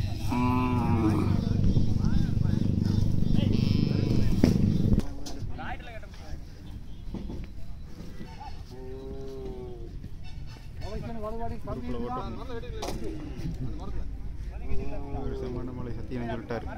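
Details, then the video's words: Angry Kangayam bull gives a long, deep, droning bellow lasting about five seconds, then gives way to people talking amid outdoor background noise. "Angry kangayam bull காங்கேயம் காளை"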